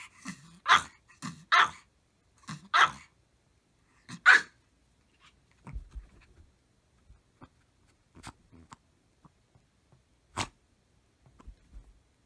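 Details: Several Maltese dogs barking together at full strength: five sharp, loud barks in quick succession during the first four seconds, then mostly quiet with faint clicks and one more isolated bark later.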